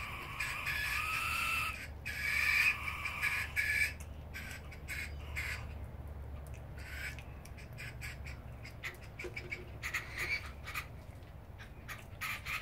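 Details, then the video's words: Brushtail possum joeys, two young animals, screaming at one another: an opening run of loud rasping screeches, then quieter broken scratchy bursts and clicks repeated irregularly, over a steady low hum. "Possum Screamfest"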